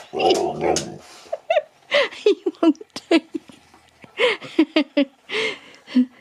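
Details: Nook, a male husky, talks at Easter over his Easter egg indoors: a run of short, whiny, bent yowls and woo sounds with quick rising and falling pitch, coming in bursts after a brief human voice at the start.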